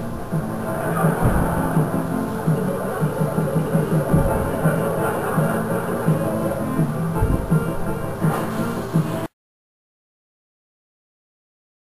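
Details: Rhythmic music with a steady beat and a low bass line fills the first nine seconds, then cuts to silence; no animal sound is heard.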